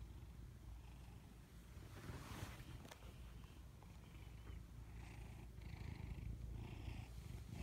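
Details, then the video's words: Sleeping pet cats snoring indoors, a steady low rumbling with rhythmic breathing pulses, a few faint rustles midway. "냥이들 자는모습을 찍으려고 했다...(코골이주의)"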